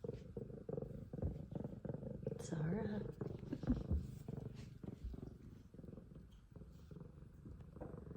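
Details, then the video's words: F2 Savannah cat purring loudly indoors, a gritty deep throb pulsing about four times a second, steady throughout, with a person speaking softly near the third second. "Extremely Loud Purrs From Sweet F2 Savannah Cat"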